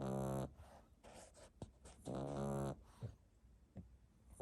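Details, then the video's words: French Bulldog puppy sleeping soundly, recorded 1 May 2021: two low, buzzy snores with stacked harmonics about two seconds apart, with softer breathing and small rustles between them. "Snoring French bulldog puppy"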